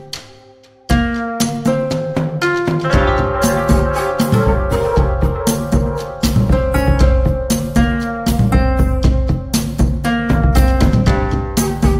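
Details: Loud band music with a drum kit, guitar and steady beat throughout after a quiet first second; no animal sounds stand out.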